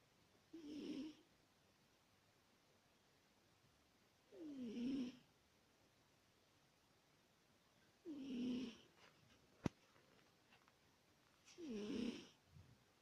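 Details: Adult female British Shorthair cat snoring indoors like an old grandmother: four deep, rasping snores, each about half a second long and roughly four seconds apart, with one sharp click between the last two.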